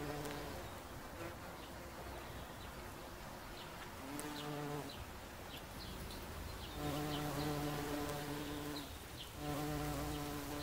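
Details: Bumblebee on a daisy buzzing in a deep, steady drone that breaks off and returns in two-second spells, with quiet bird chirps behind it.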